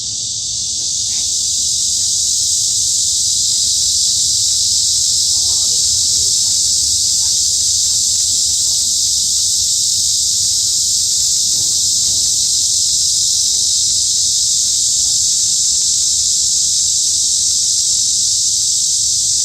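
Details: Midsummer cicada chorus in the woods of Hanbat Arboretum, Daejeon, Korea, a loud continuous shrill buzz that rises in volume over the first seconds, then holds steady, with faint scattered clicks and low background rumble.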